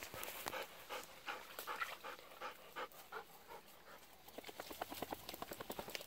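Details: Rapid, rhythmic panting from a Golden Retriever out on an evening walk, begging for still-unripe persimmons; short breathy huffs come about three per second, with faint outdoor background.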